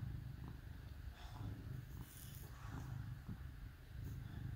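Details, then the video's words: Cats snuggling with dogs on a cold winter day, purring: a steady low rumble with rhythmic pulses, some faint higher rustles above it. "Cats Snuggle With Dogs on Cold Winter Day"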